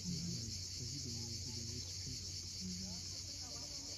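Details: At sunset on Cape Fiolent in Crimea, a sustained high cicada hiss runs without pause while low voice-like murmurs are fairly prominent beneath it.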